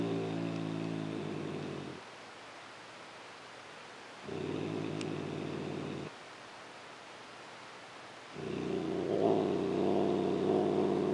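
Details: Petted female domestic cat with a habit of growling rather than purring; three throaty, rapidly pulsing rumbles separated by quiet gaps of about two seconds, the last bout louder with a higher strained overtone.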